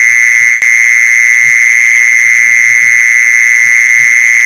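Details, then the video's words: Mole cricket calling, played to lure other mole crickets: a continuous, steady high-pitched trill that holds one even pitch throughout, with faint low ticking beneath and a single brief dropout near the start. "เสียงแมงจีซอน #ล่อแมงจีซอน"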